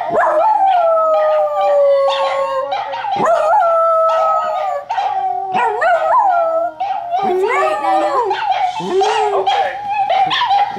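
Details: Indoor howling by Nana the dachshund, one of two wiener dogs watching Puppy TV. A long, gliding, high-pitched howl bends up and down, with brief yelps and wobbling notes mixed in.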